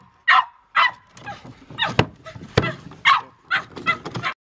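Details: Patterdale Terrier giving a few loud, sharp barks with short gaps, then a run of softer, rougher yelps and whimpers; a person has spoken just before.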